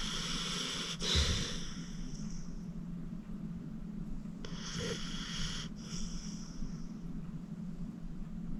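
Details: Acorn, a 14-year-old rescued pit bull from the Cuyahoga County Animal Shelter, sleeping deeply and snoring: a steady low breathy rumble with two longer hissing, snorting breaths standing out.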